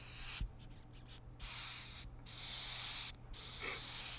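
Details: Madagascar hissing cockroaches, large ones, a male and a female, being handled, give loud, breathy hisses in long bursts with brief pauses between them.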